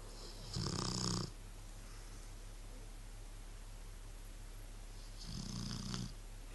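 A sleeping Rottweiler gives two deep, rumbling snores with a raspy hiss, several seconds apart.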